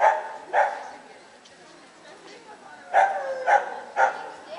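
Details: Samoyeds at a Lithuanian CACIB dog show, 25 October 2009: a pair of barks, a pause filled with hall noise, then a run of three quick barks about half a second apart.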